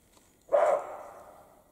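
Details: European roe deer in the Carpathian mountains during the spring mating period gives a single harsh, dog-like bark that fades out over about a second, loud and clear against a quiet background.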